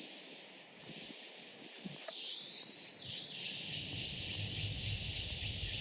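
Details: Continuous high, hissing cicada drone holding steady throughout, with short mid-pitched rasping swells near the start and a low rumble toward the end.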